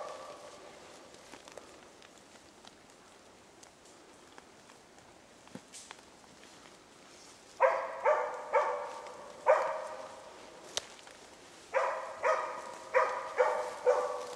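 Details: During a Swedish moose hunt, hunters approach after two hours while the dog Zakko holds a cow and calf at bay. Footsteps and rustling come first, then two bursts of rapid, repeated barks.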